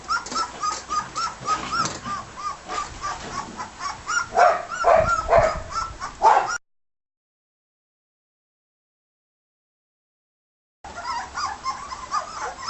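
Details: Litter of 18-day-old red and white border collie pups at a first solid meal, giving thin rising-falling whimpers and squeals in quick irregular series, a silent gap midway, then more whimpering.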